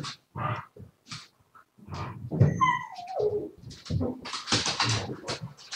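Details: Siberian Husky recorded live on 7 February 2019, making short grumbling sounds, then a clear tonal whine that slides smoothly downward, followed by rough, chattering vocal bursts.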